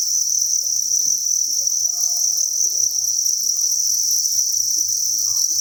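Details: A crowded cricket farm's breeding room fills with the chorus of thousands of crickets. It is one continuous piercing, trilling whine with a slight rapid flutter, and it carries on steadily throughout.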